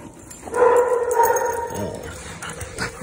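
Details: Two big dogs playing together indoors; one gives a drawn-out, tonal whining cry lasting about a second, steady in pitch, then trails off into softer sounds with light background noise.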